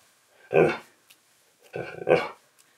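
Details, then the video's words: Key, a husky, argues back indoors during a behind-the-scenes filming session while being told to lie down; two loud, rough, drawn-out grumbling vocal bursts about a second apart, with a person giving commands nearby. "Husky SNAPS GLASSES While Arguing About Filming A Video!"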